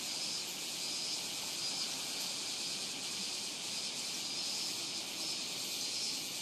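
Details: At Rokugo Shrine in Tokyo's Ota ward, Robust cicadas fill the air with an unbroken, hissing high drone, recorded with a Sony PCM-M10; cicada calling that year began about 20 July.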